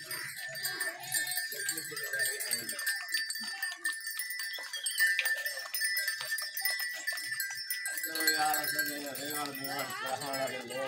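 Goats give several bleats, nasal and wavering, the later ones overlapping in a loose chorus. A steady hiss and a brief human voice sit in the background.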